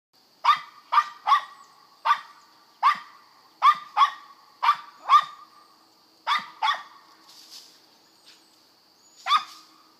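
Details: Squirrel dogs at a kennel in west Kentucky barking outdoors: about a dozen sharp, harmonic barks in irregular bursts of two or three, with a steady high insect drone running throughout.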